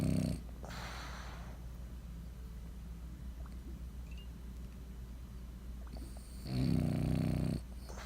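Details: French Bulldog snoring while asleep indoors: a short low rattling snore at the start, a long quiet breathing pause, then another buzzing, rumbling snore lasting about a second.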